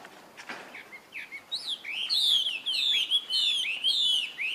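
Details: A young monkey calls for help from its older sibling. A few soft, short cries build into loud, wavering, high-pitched squeals that come in quick succession.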